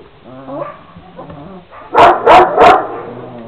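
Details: Twenty-six-day-old Šarplaninac puppies from a litter of eight: soft, wavering whines at first, then three loud, quick barks in a row about a third of a second apart, followed by faint whimpering.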